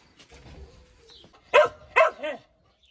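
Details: Laika puppies giving two sharp, loud yaps in quick succession, then a shorter, lower arched yelp, over faint rustling and a low background murmur.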